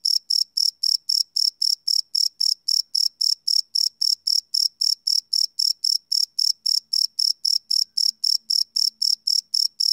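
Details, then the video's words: Crickets chirping at night, live field recording: a steady, unbroken series of shrill, high-pitched chirps at about four per second, very even in rhythm, over a silent background. "Cricket Chirp Sound - Cricket Sounds at Night"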